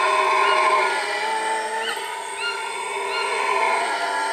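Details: Roaring howls of howler monkeys at Iwokrama Resort, Guyana, a dense steady rumble of layered voices with a dip midway, accompanied by a few short rising bird notes.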